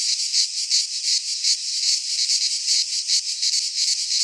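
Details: Midsummer cicada chorus from a Greek pine forest, a harsh high-pitched buzz throbbing in steady pulses about three per second, unbroken throughout, nothing else audible.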